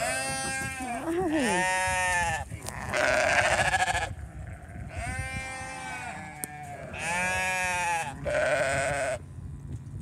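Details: Sheep getting hay on a farm while a hungry baby ram lamb calls; loud, drawn-out tremulous bleats lasting one to two seconds each, about four in ten seconds, with a man's voice briefly audible.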